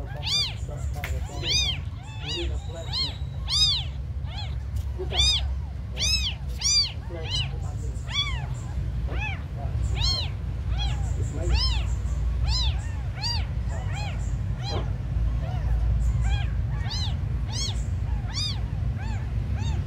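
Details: Several tiny abandoned kittens calling over and over, a dense run of short high-pitched mews, some clipped and some drawn out, against a low droning background.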